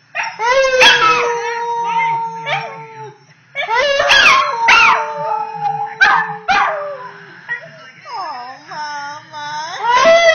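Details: A nearly 10-month-old female Pembroke Welsh corgi trying out her voice, singing in long level howls broken by sharp yips, repeated in bursts, ending in quavering, wobbling notes that dip and rise.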